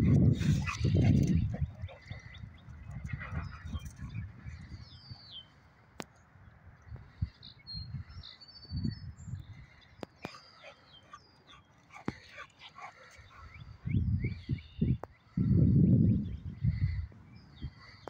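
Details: Two Boxer dogs at play make loud, low rumbling growls in bursts at the start and again near the end, with quieter snuffling and movement between. Small birds chirp faintly in the background.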